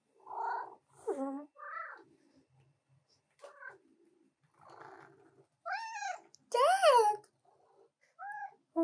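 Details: Female house cat demanding attention while her owner works at a keyboard; a person speaks softly early on, then loud rising-and-falling meows follow, the longest and strongest one near the end.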